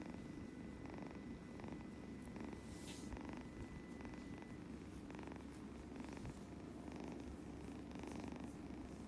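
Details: Scottish Fold kitten purring while being stroked: a steady low rumble swelling in soft rhythmic pulses with each breath, roughly every 0.7 seconds, and a faint thin steady tone early on.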